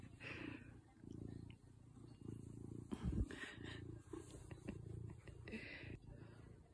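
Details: Cat met in the Swiss Alps in 2021, purring in low, rumbling bursts that swell and fade roughly once a second, with a brief louder rustle near the middle and faint background noise.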